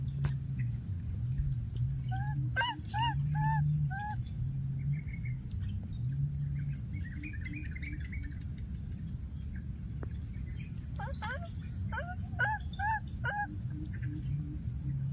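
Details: Young wild monkey keeps calling for its lost playmate: bursts of short, clear, slightly wavering cries in groups of three to five, pausing between bouts, set against a steady low droning hum.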